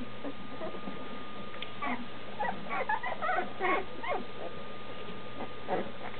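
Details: Nearly two-week-old Standard Schnauzer pups in a whelping box cry for their mother, who waits just outside. Softer scattered whines and short squeaky yips come in loose clusters over a constant low hum.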